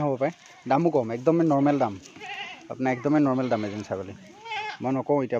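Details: Several Assam Hill goats kept on a farm in Assam, India, calling with long shaky bleats, some rising and falling. The calls overlap closely in a busy, insistent flock chorus.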